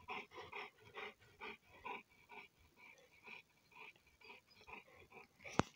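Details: Two young Cane Corso Italiano dogs, a father and his offspring, play-fighting energetically for a long while; a steady run of short, rhythmic growling and panting bursts, several per second, with a sharp click near the end.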